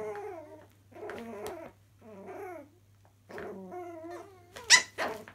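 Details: Chihuahua puppies at play in a laundry room give high, tonal growling whines, rising and falling in bursts of about half a second, separated by short pauses, ending in a sharp yap; faint low hum behind.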